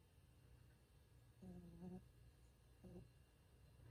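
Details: Bichon Frisé named Ttangkongi snoring while asleep: two soft, low, droning snore bursts, the first lasting about half a second and the second briefer, over a quiet room hum.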